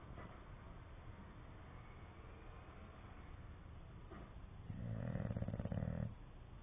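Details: Dozing English Bulldog breathes quietly for several seconds, then lets out one loud, low, rattling snore of about 1.3 seconds made of fast fluttering pulses.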